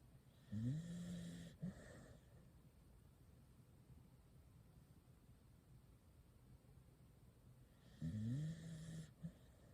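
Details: Corgi asleep and pressed against a person for warmth in the cold season, snoring softly: two rasping, low snore bursts about a second long, one near the start and one near the end, separated by quiet breathing.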